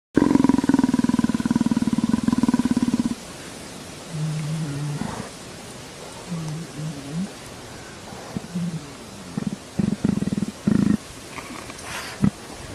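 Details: Leopard purring with pleasure while being scratched behind the ear, begging for affection like a tame house cat; a steady low pulsed rumble for about three seconds, then short scattered low rumbles and soft noises.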